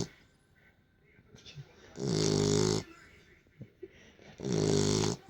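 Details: Beagle sleeping after play gives two long buzzy snores about two seconds apart; soft speech is faintly heard in the quiet gap.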